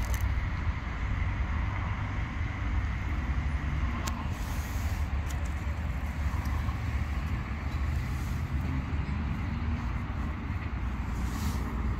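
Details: Steady low rumble of road traffic on an urban street with vehicles passing, and no animal voice to be heard.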